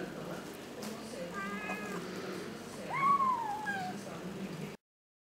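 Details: A kitten meows while trying fish and rice for the first time: a faint short cry, then one clear, longer meow that swoops up and trails downward before silence.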